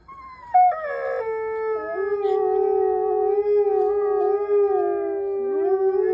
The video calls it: Mexican Wolves Howling